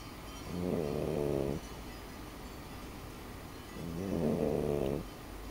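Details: French Bulldog snoring in her sleep: two long, rough, harmonic-rich snores, the first near the start and the second toward the end, separated by quiet breathing.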